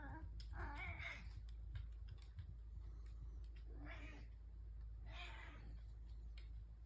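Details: Three house cats at breakfast time in the morning, calling with several drawn-out wavering meows about a second apart, over a steady low indoor hum.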